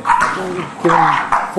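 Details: During play between an English Bulldog and Forest, a three-month-old English Mastiff pup, two short voiced growling yips sound with a falling tone, close and loud.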